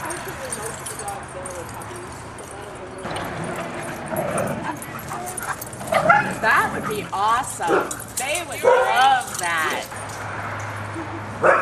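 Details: About two dozen huskies run, play and wrestle together; a burst of sharp yips and barks with rising-and-falling whining tones comes in quick irregular runs, over steady human chatter and a low hum.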